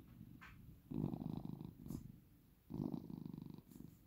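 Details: Cat purring softly, two low rough rumbling bursts with a slight flutter, separated by quieter breathing.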